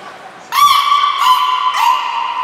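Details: Belugas Niko and Mirai in training at Port of Nagoya Public Aquarium, 29 February 2020: three squeaky, drawn-out tonal calls, each starting with a brief upward sweep, then holding steady with a rich harmonic edge.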